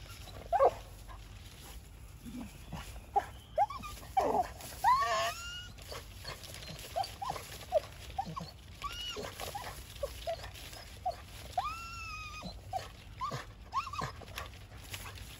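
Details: On a walk, a persimmon-loving Labrador Retriever stands and jumps but cannot reach the fruit remaining high up. It gives repeated short, arching whines and squeaks throughout, some rising then falling, spaced irregularly, with faint outdoor ambience.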